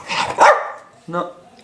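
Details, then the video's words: Pet dog sneezing indoors: one sharp, noisy burst of breath early on, then a short spoken word from a person and quiet room sound. "Cute Dog Sneezing"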